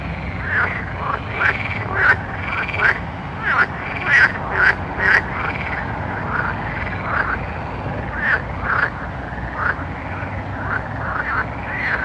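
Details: Night chorus of frogs giving rapid, arched, rolling croaks in quick succession, several callers overlapping throughout, with a low continuous rumble underneath.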